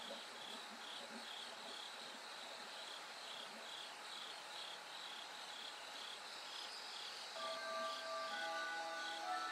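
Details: Bell cricket chorus heard as night grows gradually brighter toward dawn: steady pulsed insect trilling, rapid repeated chirps, with faint tonal hum and later clear whistled notes entering near the end.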